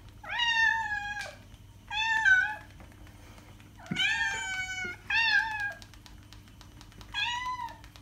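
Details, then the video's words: Domestic cat meowing, recorded to attract cats: five drawn-out, clear, tonal meows over eight seconds, some rising then falling, each lasting about half a second to a second, with a steady low hum in the background. "Cat sound - cat meowing to attract cats"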